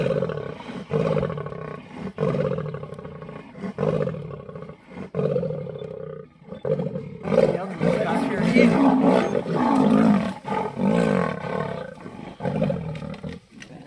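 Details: Two lionesses clash with the Ravenscourt male leopard in a tree over an impala carcass at Sabi Sand; repeated throaty roaring snarls, steady at first then wilder and denser after a short pause, people murmuring.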